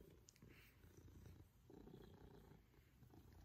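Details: Male Maine Coon cat purring as he enjoys a cuddle and attention at home; low, soft rumbling purr that swells slightly after the midpoint, with brief rustling noises.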